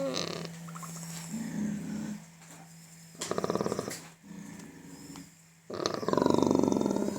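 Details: Pig vocalising while having its teeth checked: rough, rapidly pulsed growling grunts in long runs, rising to a louder harsh squeal at the end, over a steady low mechanical hum.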